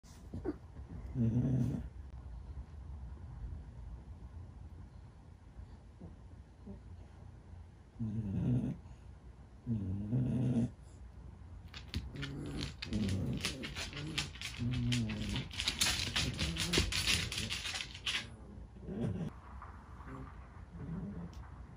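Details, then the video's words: Two elderly French Bulldog sisters, both twelve years old and born in 2009, greet their mom as she comes home. Low, snorting grunts come in short bursts near the start and middle, followed by a stretch of rustling, clattering noise. "【老犬フレブル姉妹が】ママをお出迎え 〜French bulldog〜フレンチブルドッグ"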